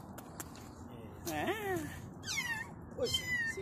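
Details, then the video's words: Kitten producing a run of three plaintive meows, the first long and sliding downward, then a higher wavering cry and a short final squeak, over soft background noise. "Kitten mawing sounds"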